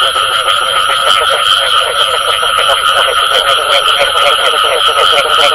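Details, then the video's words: Frog chorus featuring the 'bù tọt' call style: many overlapping croaking notes pulsing rapidly without pause, over a constant high-pitched electronic hum. "Tiếng Ếch Kêu Có Tiếng Bù Tọt"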